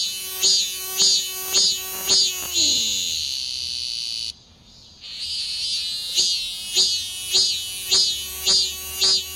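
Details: Cicada clinging to a city window screen, calling in the early morning before sunrise and waking sleepers like an alarm. Loud, high buzzy pulses come about twice a second and swell into a steady shrill drone. After a brief gap the pulsing resumes.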